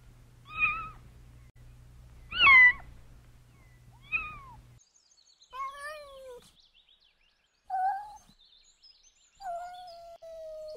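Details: Kittens at play outside in a garden: three brief arched mews early on, then fainter thin, falling tonal calls separated by quiet gaps.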